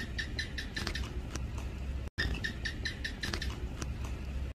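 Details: Sharp, repeated chirps from a house gecko in a long calling sequence, each note short and clicky, running in quick trains over a continuous low hum, cut once by a brief pause.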